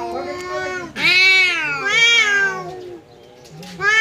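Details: House cat confronting a visiting cat in a fight: loud rising and falling caterwauls, two strong wavering yowls after a lower growling moan, then a fresh cry starting at the end.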